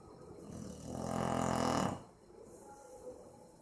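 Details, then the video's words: Maizena, a Boxer, snores in sleep: one coarse, rumbling inhalation snore lasting about a second and a half, then near silence with soft breathing. "Meu Boxer dormindo e roncando - cachorro roncando"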